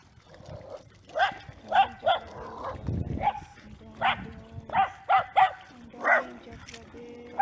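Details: Scottish Terriers Kimberly and Khloe bark in short sharp bursts roughly every half second to second, several yaps clustered between one and seven seconds, with faint background voices.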